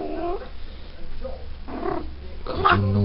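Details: A female Maine Coon cat that has just come into season gives drawn-out, wavering yowls while people talk nearby.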